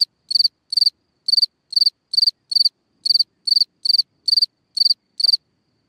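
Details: Singing cricket at its burrow hole in the ground at night, giving loud high-pitched pulsed chirps about every third of a second, each chirp a rapid stutter of pulses, over quiet surroundings.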